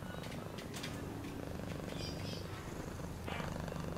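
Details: Short stretch of a cat's purr, a quick throbbing low hum, with small clicks and a soft higher swish near the end.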